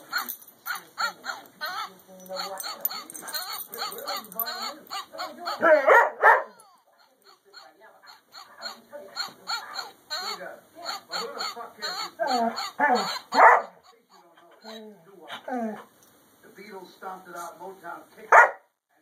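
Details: At Christmas 2011, a Border Collie howls along to jingle-bell music in wavering, rising and falling yowls and whines.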